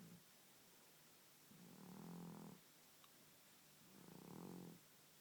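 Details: Sleeping elderly male cat snoring, a lifelong snorer getting louder with age: two long, low, vibrating rasps about two and a half seconds apart, each swelling then fading, with a soft click between.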